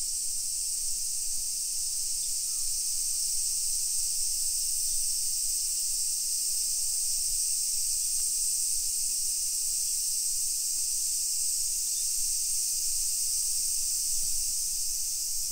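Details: Cicada chorus in midsummer, 28 July 2021 at 1 PM, on residential streets of Nisshin, about 20 km from downtown Nagoya, Japan: an intense even shrill hiss fills the whole stretch with little else audible.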